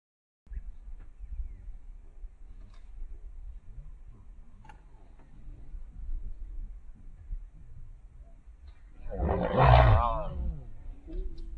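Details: A male lion having his meal taken by a lioness and her cub on safari; low rumbling for several seconds, then one loud, harsh, rasping roar-snarl bursting out near the end before fading into growling.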